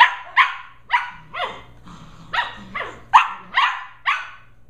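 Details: Sheltie puppies Holly and Pearl, 11.5 weeks old, wrestling and running around inside a house one evening; a rapid string of about nine high, sharp barks roughly every half second, bright and yappy, with soft growls underneath.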